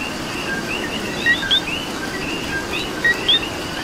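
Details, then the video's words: Rainy Puerto Rico night with a coqui giving two clear co-qui calls, a brief flat note followed by an upswept higher chirp, spaced under two seconds apart, backed by faint overlapping frog calls and continuous rain noise. "Coqui and Rain"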